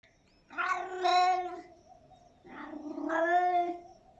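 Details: Domestic cat meowing, two long drawn-out harmonic meows about two seconds apart, each rising then falling, loud and clear in a quiet setting.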